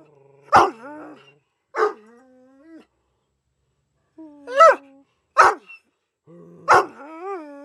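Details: A pet Irish Wolfhound howling indoors: five loud, abrupt vocal bursts, several trailing into sustained, slightly wavering tones, with quiet pauses between them and no other sounds.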